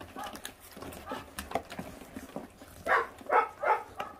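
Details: Five 28-day-old feral puppies eating raw meat down to the bones; short nasal grunting yelps, a few scattered early then three louder ones close together near the end, over rustling and faint chewing.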